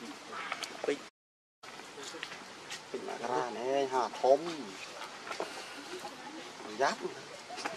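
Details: Baby monkey Rainbow, needing milk and hugging its mother tightly, gives a quick run of arched, harmonic, wavering cries in the middle, each rising and falling. A short silent break and steady background noise fill the rest.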